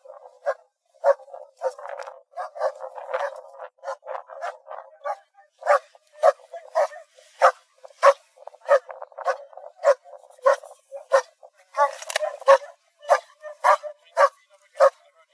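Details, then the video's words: German Shepherd Dog barking steadily, roughly a hundred sharp, clipped barks per minute, with softer rough sounds between some of them. "GERMAN SHEPHERD Sounds for Kids - Barking, Howling, Breathing Sounds of German Shepherd Dogs"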